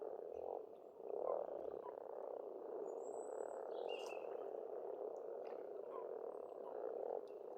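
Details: Frogs calling in spring at a pond in Estonia, a dense unbroken croaking chorus with a steady churring drone, a louder swell near the first second, and faint bird notes high above.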